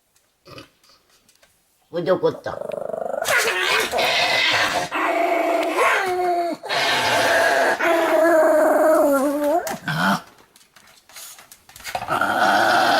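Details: Pomeranian in a full-strength 'kung fu' play fight: a brief human voice comes first, then long, strained growling with wavering, whiny rises and drops for about eight seconds before trailing into quieter grumbles.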